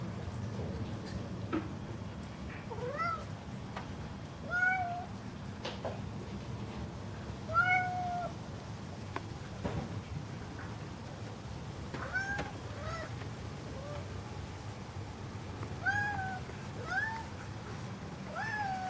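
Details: Ludwig, a pet cat called a singer, meows again and again indoors: around ten short, arched mews, some rising then falling, spaced one to three seconds apart over a low background rumble.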